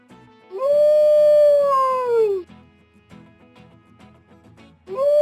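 A wolf gives a long, smooth howl that holds steady and then slides downward over about two seconds, with quiet music underneath and a second howl starting.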